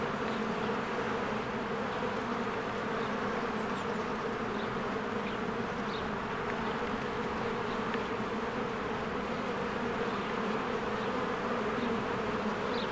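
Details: Honeybees swarming in and out of their hive in spring while flowers bloom, filmed on a Canon EOS R: a dense, steady, low droning hum with layered buzzing tones, plus a few faint, brief high chirps scattered throughout.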